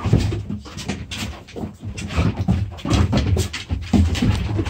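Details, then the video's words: Pair of dogs in play-fight, puppy play indoors: continuous heavy panting with low grumbling growls and snorts, repeated rapidly throughout amid scuffling. "puppy play"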